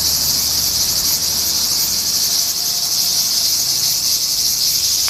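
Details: Unseen cicadas in summer, 4 August 2017, produce a relentless high rasping drone with subtle wavering, with a faint low rumble beneath.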